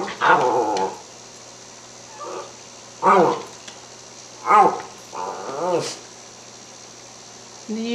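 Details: A Cairn Terrier talks at mealtime indoors, asking about lamb chops: a series of four or five arched, groaning harmonic vocalizations about every one to two seconds, interleaved with the owner's speech.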